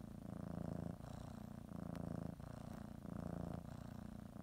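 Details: Female domestic cat purring while kneading a blanket before her morning nap; loud, close, buzzy low rumble alternating between roughly one-second phases with brief dips between breaths.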